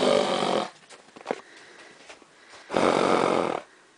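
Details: Horses in a winter pasture snorting in alarm at helium balloons left over from Valentine's Day, a prey animal's way of asking what the strange thing is; two long, broad, rasping blasts of breath with a quiet pause between.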